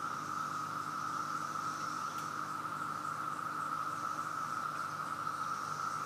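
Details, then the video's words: Dense cicada choir in Virginia, the insects swarming everywhere: a continuous buzzing drone fixed at one pitch, constant in loudness, with a faint higher shimmer coming and going above it. "Chorus of Cicadas"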